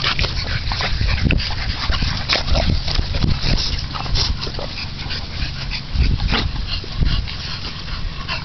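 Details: Bulldog family at play: champion sire and dam with their 8-week-old female puppies. Short whimpers and sharp yips come through low scuffling, with brief murmured voices in the background.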